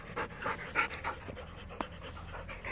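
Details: Border Collie panting during fetch training: breathy, noisy puffs come in an uneven series through the first second, then softer breaths with one sharp click near the end, over a low steady background hum.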